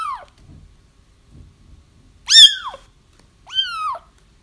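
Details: Kittens crying to lure a feral mother cat: the end of one mew, then two clear arched cries a second apart, with faint low bumps in the quiet gaps.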